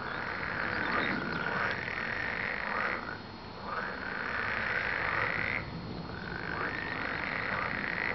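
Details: Frogs call in a busy, buzzing croak chorus of rapid overlapping trills. It dips briefly in volume twice before resuming at full strength.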